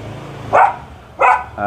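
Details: Belgian Malinois during training: two loud, full barks about two-thirds of a second apart, a third bark just beginning as the sound ends, over low background hum.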